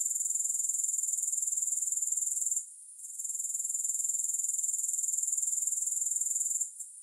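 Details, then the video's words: Grasshoppers make a dense, high, rapidly pulsing trill with no music, dropping out briefly after two and a half seconds, resuming, then breaking off again at the very end. "Grass Hopper Sounds"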